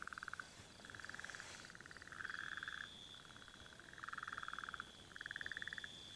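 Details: Several burrowing frogs call back and forth beside rain-filled dams during breeding, eggs already laid; bursts of rapid pulsed rattling alternate every second or so, over a constant thin high-pitched drone.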